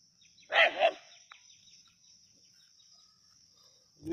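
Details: Native dog at Keezhadi on a snake hunt gives a quick double bark, two rapid bursts, then near quiet with a steady high whine and the start of another sound at the end.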